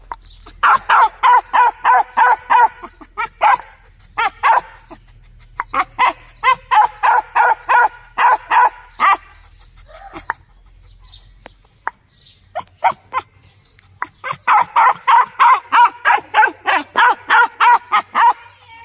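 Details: Loud dog barking in long rapid volleys, roughly three barks a second, broken by short pauses and a quieter stretch before a final burst.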